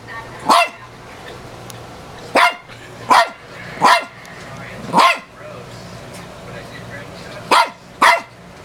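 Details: A roughly 15-year-old female dog reacting to herself in a mirror lets out seven sharp barks, irregularly spaced with gaps up to two seconds, some in quick pairs, against a faint constant hum.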